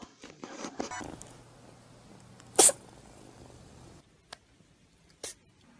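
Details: Domestic cat sneezing indoors: one sharp, explosive broadband burst mid-clip and a shorter, softer one near the end, following a stretch of rustling and handling noise.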